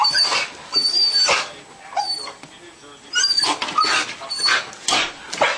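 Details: Pet dog indoors on Christmas morning 2007, fixated on a squirrel outside on the patio, shaking and eager to charge out; high thin whimpers and yips in bursts roughly every second, with a person's voice talking nearby.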